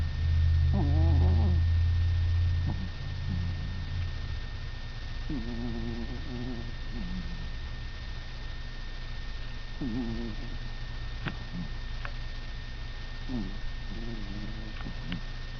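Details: Snores from Hannah, a tiny 5-lb dog sleeping indoors one November 2005 night; separate rattling, wavering breaths come every few seconds, each a buzzy fluttered tone, with a loud low rumble early on, faint clicks, and a constant background hum.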